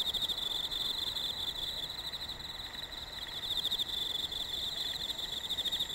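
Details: Autumn insects chirping during an unusually hot summer, a dense continuous chorus of high pulsed trilling near the top of the range, steady throughout with a fainter higher band above, no other clear sounds.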